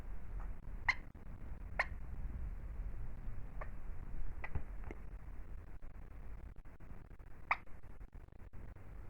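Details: Hamster sneezing: five short, sharp, clicky bursts scattered over nine seconds, each a tiny crisp snap, with soft background hiss between them.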